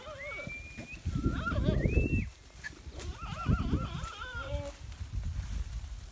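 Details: Farmed goats returning from pasture: several quavering, wavering bleats overlap, some rising then sliding, in bursts across the recording, over steady low rumbling background noise.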